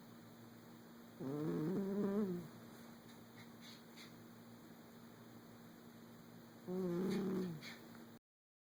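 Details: Cat snoring in its sleep, two long, rough, wobbling breaths about five seconds apart, each slightly rising then falling, with a steady background hum.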